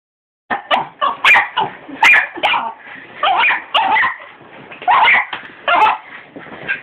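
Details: Domestic dog barking at a hoover indoors: a rapid series of sharp, high yappy barks, some with a whining edge, coming in bursts about every half second with brief pauses, phone recording.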